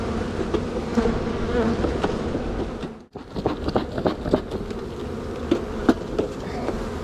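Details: Honey bees in spring, buzzing while a beekeeper makes a walk-away split of one of two strong hives near swarming. Steady low droning hum with a brief dropout midway, plus sharp clicks and knocks of frames being handled.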